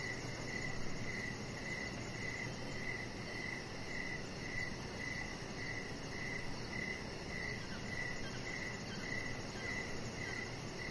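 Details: Crickets chirping on an evening deck where a chihuahua lies under decoration lights: steady high pulsed chirps repeating about twice a second, with a fainter very high pulsing layer above and a constant broad background hiss.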